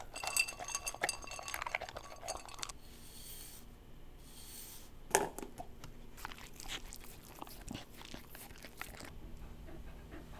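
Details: Corgi eating fruit and vegetables such as watermelon, carrot, napa cabbage and apple: scattered crisp crunches and wet chewing clicks, with occasional clinks of dishes in a small indoor room.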